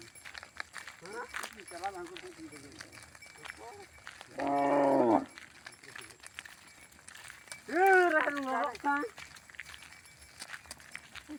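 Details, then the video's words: Tame cows being herded back to the barn in a village in the afternoon. A single low, steady, droning moo lasts about a second midway, surrounded by people's talk and loud rising-falling shouted calls. "Herding Tame Cows Every Afternoon | Funny Cow Sounds, Dancing Cows & Cows Returning to the Barn"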